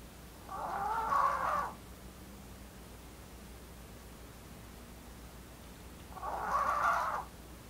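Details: Blue, a female Maltese born 4 August 2018, snoring: two soft, breathy rasping bursts, each about a second long and about five seconds apart, over a quiet background.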